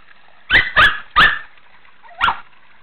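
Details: Megan, a Shih Tzu at play in a pool, lets out three quick barks in a row, a short pause with a soft whine, then one more bark, against a low humming background.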